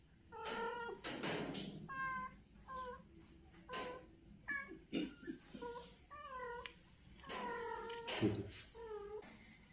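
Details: Kittens playing on the ground give softer, lower mewing cries in uneven series, mixed with rustling and faint background noise indoors.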